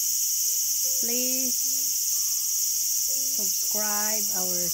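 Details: Cicada calling in a small garden on August 5, 2020: a steady, high, shrill insect buzz runs throughout, overlaid by loud, harmonic, bending lower calls from another animal, in bursts around the middle and end.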